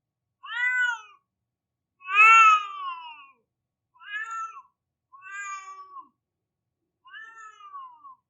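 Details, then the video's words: Crying cat giving five plaintive meows spread across about eight seconds. The second is the longest and loudest; the others are shorter, slightly falling wails, and the background is silent. "Cat is Crying Like a Baby"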